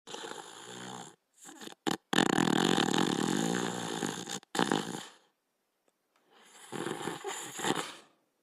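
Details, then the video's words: Rusto, a Border Collie known as the Little Fox who lived 1989-1992, snoring while asleep indoors: rough, buzzy breaths in uneven bursts, one long snore of about two seconds, then a pause before another drawn-out snore. "Border Collie Sleeping and Snoring"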